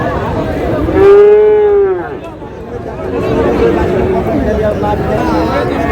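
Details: At Raniganj cattle market, Dinajpur, Bangladesh, a Friesian or crossbred bull calf gives one loud, clear moo of about a second, steady then slightly falling, followed by quieter crowd talk and market bustle.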